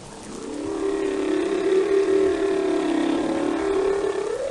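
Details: Whale song as one long, steady, mid-pitched tonal moan held for several seconds with a rich harmonic tone, slightly wavering and rising at the end, over a background hiss.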